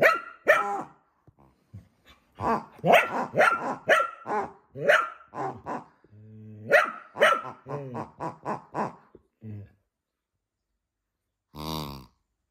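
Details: Scottish Terrier in a noisy back-and-forth with a pig: rapid irregular barks and grunting yaps in quick succession, a brief low droning growl near the middle, then a lone harsh bark after a pause.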